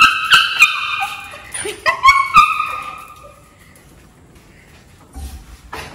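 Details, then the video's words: Maltese dog Cherry, thrilled at her owner's return after ten days, lets out a burst of shrill whining yelps in the first few seconds, then falls quiet with faint background noise. "When Cherry met Papa after long time | Maltese Dog meets Dad | Excited puppy"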